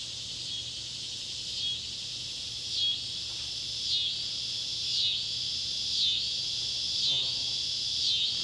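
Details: Cicadas, Neotibicen pruinosus and Neotibicen tibicen, calling as sunset light falls on an old tobacco barn, Ballard County, Kentucky, July 31, 2013; high shrill buzzing swells and dips in rhythmic pulses roughly once a second over a steady drone.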